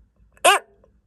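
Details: White's tree frog giving a single sudden call, possibly out of anger at being pestered too persistently with offered food: a brief harsh squawk lasting under a quarter second, rich in overtones, in an otherwise quiet room.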